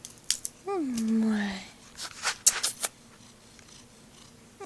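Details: Fat pet cat, a female, indoors in a small room, giving one meow that starts high and slides down into a long low drawn-out tone, followed by clicks and rustling handling noises.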